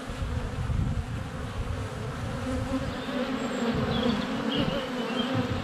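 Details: Honey bees swarming in flight at a hive entrance on a sunny February day, recorded with a GoPro Hero 7 Black less than a foot from the hive: a dense, steady low humming buzz with layered overtones, and faint high bird chirps above.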